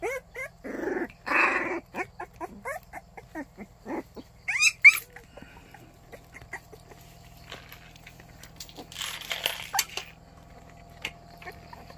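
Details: White Baekgu puppy in Cheongdo County, Korea, greeting in the morning with a quick run of high, short whimpers and yelps that rise and fall, tightly packed over the first five seconds, then sparse faint squeaks over quiet background hiss.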